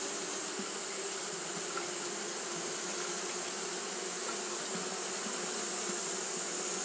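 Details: Japanese honey bees fanning continuously on a hot day: a steady, dense buzzing hum with low droning tones and no breaks, over a constant high-pitched hiss.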